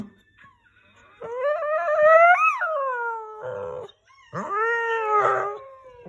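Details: Scottish Terrier singing: a long rising howl that swells and peaks near the middle, a brief rough break, then a second sustained, slightly wavering howl.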